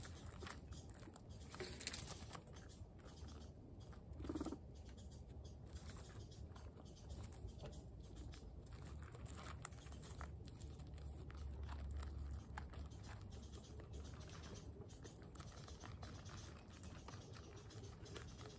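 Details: Two guinea pigs, Latte and Oreo, eating pellets: rapid crunchy chewing at roughly four bites a second, with brief louder crunches over a steady low rumble.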